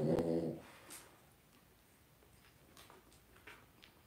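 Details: Two-week-old blenheim Cavalier King Charles Spaniel puppies, a litter of five born at New Year's, indoors in their puppy pen: one short, loud, harmonic whimpering grunt in the first half-second, then quiet shuffling and faint soft sounds.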